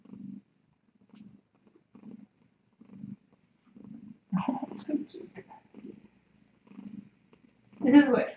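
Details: Late-night purring from a cat at the Tiny Kittens Society rescue, caught on a live-stream cam: short low purr bursts in regular breaths, interrupted midway and at the end by a person speaking.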